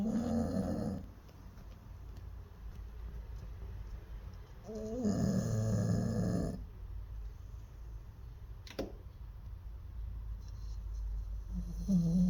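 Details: Snoring of an older Jindo dog whose snoring grows worse with age, recorded indoors; harsh buzzy snores separated by long quiet pauses, one at the start and one near the middle, a third beginning at the end.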